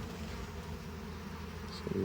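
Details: Docile honey bee colony, not very loud, in a hive being harvested: a continuous low buzzing drone with stacked tones, ending in a brief clatter of handling noise.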